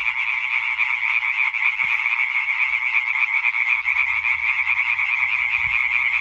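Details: European tree frog chorus on 20 May 2023: dense, continuous massed croaking, a bright rattling band of overlapping calls with no gaps, steady and loud throughout, one faint low thump near two seconds.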